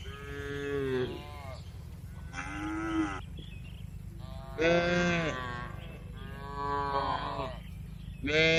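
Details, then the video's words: Gentle barn cattle moo in turns, five or six strong drawn-out bellows with rich harmonics, spaced about a second apart, above a continuous low humming background. "Calm Cattle Sounds"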